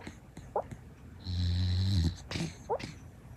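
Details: Luna, a female rescue Shiba Inu born 13 September 2016, asleep indoors. A deep, droning snore lasts nearly a second. Short, bending squeaky whimpers of sleep-talking come before and after it, along with soft breathy clicks.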